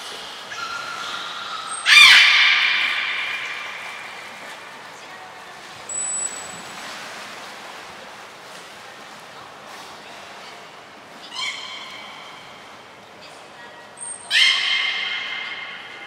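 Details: Belugas Gray, Nana and Mirai during training at Port of Nagoya Public Aquarium, 7 June 2022: three bright, harmonic squawking bursts with echoing tails at about 2, 11 and 14 seconds. Brief thin high tones sound between them in a reverberant room.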